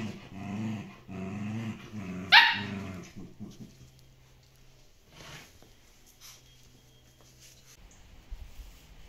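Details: Dogs at play in a tug of war, Shiba Inu and Samoyed kennel in the Netherlands; low growling for three seconds with one sharp bark, then quieter faint rumbles.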